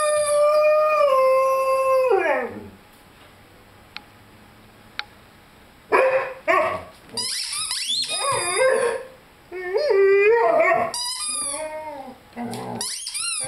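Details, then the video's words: Young Rhodesian Ridgeback, five months old, howls alongside a squeaky chicken toy; a long steady howl sliding down, a quiet pause with two clicks, then rapid squeaks and short yelping, wavering howl notes. "Rhodesian Ridgeback Howling with squeaky toy."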